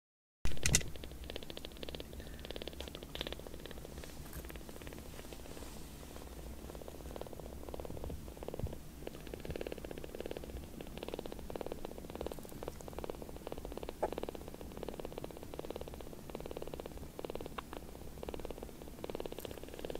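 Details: Tiny palm-sized rescued kittens, newly taken in as foster kittens, purring loudly while being affectionate and suckling on a finger; a steady low rumbling purr pulses continuously for twenty seconds indoors with faint handling noises.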